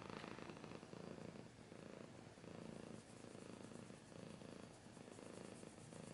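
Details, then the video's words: Steady rumbling purr from a cat, rising and falling in regular breath-length pulses that repeat about every second for the whole stretch. "Cat's purring / scratching / kinda ASMR"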